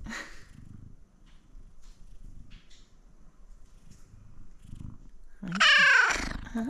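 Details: Up close to a male F2 Savannah cat indoors: quiet purring and faint breaths, then a loud, harmonic, wailing meow near the end, rising and then falling, followed by a woman greeting him.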